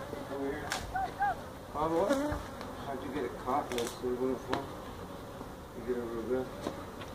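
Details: Feral honey bee colony being removed from inside a tractor tire at a Mission, Texas citrus orchard. Bees whine past in short swooping bursts over a low background hum, with scattered taps and cracks of handling.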